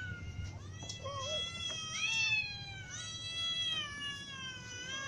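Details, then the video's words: Kittens and adult cats, including a ginger cat, calling because they are hungry; a run of long, overlapping, wavering meows, some high and thin, others lower, continuing almost without pause over a low background rumble. "Ginger cat , little cats and adult cats all meow because they are hungry"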